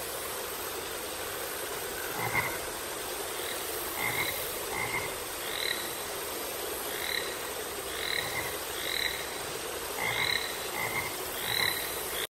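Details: Several frogs giving short, bright croaking notes, repeated irregularly in clusters, against a constant high-pitched background hiss.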